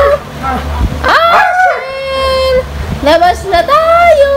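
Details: Siberian Husky, female, calling her owner to be let out: wavering, whine-like howls with rich overtones that rise and fall, one long sustained note midway, then further yodelling bursts, with a low background hum.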